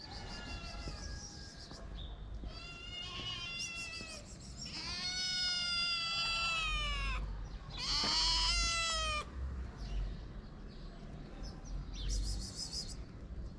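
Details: Two abandoned sister kittens, shy but hungry, at a small shelter in Morocco: a run of loud, drawn-out meows, several sliding downward, overlapping in quick succession with faint background hiss.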